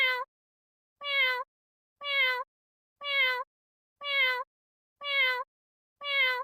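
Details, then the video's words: Cat giving the same short, nasal, harmonic meow over and over at a steady one-per-second beat, each call bending up then sliding down, with nothing else heard between calls. "12 minutes of random cat sounds"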